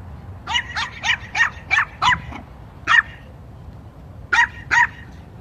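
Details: A Yorkshire Terrier protecting his sister gives a rapid run of high, sharp barks, pauses, then barks twice more.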